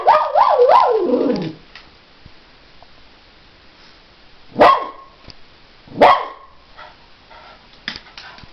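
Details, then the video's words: Dog angry at being outsmarted while its wits are tested; a wavering, whining vocal slide opens, then quiet, then two sharp, separate barks a second and a half apart. "Angry Dog"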